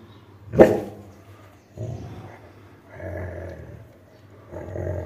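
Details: Labrador Retriever named Buzzo growling while guarding its toy: a sharp snap-like burst opens, then three deep rumbling growls, each lasting about half a second to a second, separated by short pauses.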